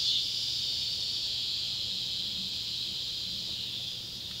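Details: Cicadas of two species, Neotibicen pruinosus and Neotibicen tibicen, at an old tobacco barn in Ballard County, Kentucky, on a July 31, 2013 summer evening at sunset: an unbroken high, buzzy whine holding steady, easing slightly at the end.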